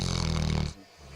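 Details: Bodie, a sleeping dog, snoring: one loud, raspy, rapidly fluttering snore lasting under a second, then near quiet with faint speech in the background.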